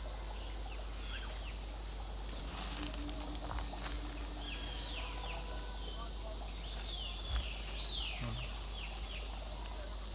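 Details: Cicadas call loudly in a shrill, high buzzing that throbs about twice a second at Motidhar forest, by a stream in a thicket where a Rufous Sibia and White-throated Laughing Thrushes bathe and preen, with short bird chirps and whistles.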